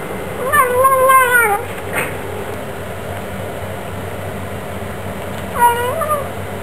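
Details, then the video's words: Bengal cats kept as pets: a drawn-out wavering meow with rich harmonics, then quiet room noise, and a shorter meow near the end. "Bengals love to talk"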